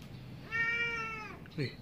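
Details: Cat at feeding time, meowing for food or attention: one drawn-out, level, harmonic meow lasting nearly a second, followed by a brief softer chirp-like call.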